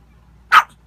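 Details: A single abrupt bark from Gizmo, a pet dog asking for kittens to be let out, one brief loud burst in an otherwise quiet room.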